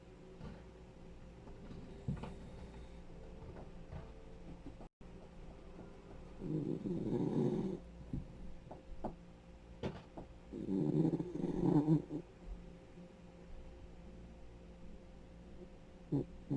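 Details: Rescued senior male Dachshund, ten years old, snoring indoors: low rumbling snores in two longer bursts around seven and eleven seconds, with scattered short snorts and faint breathing between them in a quiet room.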